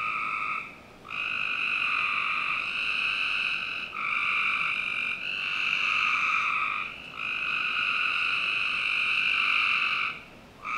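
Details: Frogs in a Northern Virginia backyard on a summer night keep up almost unbroken trills, long buzzy stretches of several seconds each, briefly interrupted, suggesting overlapping callers.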